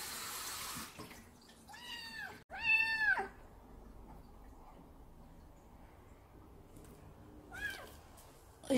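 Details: Indoor Munchkin short-legged kitten, female and odd-eyed, born July 2018: running water fades, then two clear rising-falling meows follow in quick succession, the second louder, and a fainter mew comes a few seconds later.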